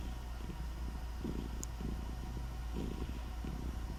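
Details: Low, gentle purring from Nutty the cat, soft rumbling bursts repeating roughly every half second to second in time with breathing, a steady low hum beneath.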